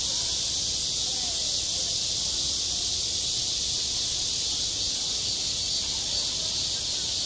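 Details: Cicadas at a school playground in high summer, one continuous piercing drone holding level throughout, with only a faint low murmur of background noise.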